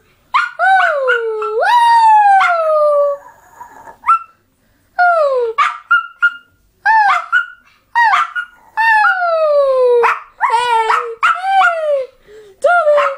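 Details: Pet dog producing a varied, annoying whine-howl series: wavering wails that dip and rise again, mixed with short yelps and whimpers, almost continuous over thirteen seconds.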